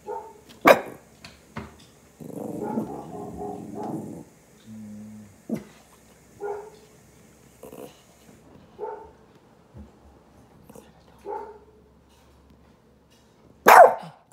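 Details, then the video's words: A pet puppy responds to a recording of another dog barking. A sharp bark opens, then low growly rumbles and several short soft yips or whines follow. A second loud bark closes the stretch. "Cute PUPPY Reacts To Recording of Dog Barking"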